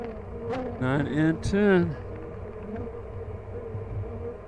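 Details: Steady droning hum of honey bees at an open hive during an inspection at The Mountain, colony packed with honey and brood; a short burst of human speech interrupts the even buzz near the start.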